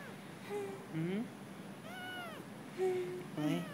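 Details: Stray kitten living at a residential block, protesting at being filmed: a run of short arched meows, one longer rising-then-falling cry in the middle, closing with two brief clipped mews, while a person talks softly nearby.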